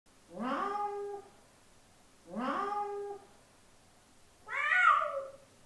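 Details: Domestic cat meowing to attract another cat: three drawn-out harmonic meows, the first two lower and falling, the last higher and wavering, each about a second long with pauses between.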